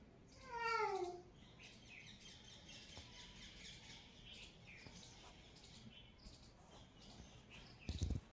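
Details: Cat giving one drawn-out, falling meow near the start, followed by faint high chirping of birds in the background and a brief thump at the very end.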